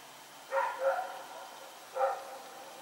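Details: Night barking from Rex, a dog running about outdoors, recorded 21 September 2018: a rapid double bark, a pause of about a second, then one more single bark against a quiet background.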